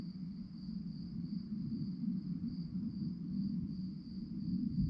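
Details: Crickets at night sing a thin, high, evenly beating trill without pause, set against a steady deep background hum.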